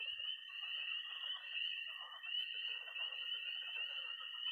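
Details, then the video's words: Chorus of peeping tree frogs, croaking pond frogs and high trilling toads on an early spring night in Missouri: a continuous shrill trill with dense overlapping croaks swelling and fading beneath it. "20 minutes of toads and frogs, sound only!"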